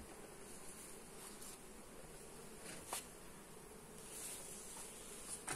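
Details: Steady droning buzz of honey bees during a hive inspection, phone-recorded on a Xiaomi Redmi Note 8, with a single sharp knock near the middle and light handling noises.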